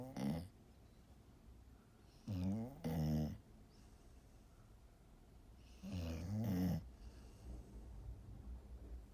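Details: Golden Retriever fast asleep, snoring in low rumbling bursts: a short snore, then paired snores around two and a half seconds and again near six seconds, separated by quiet breathing in a still room.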